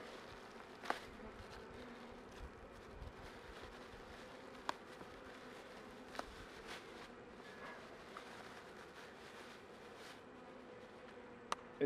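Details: Colony of honey bees at an open hive near the end of winter as honeycomb is added over brood frames; continuous low droning hum throughout, with scattered sharp clicks and knocks from handling.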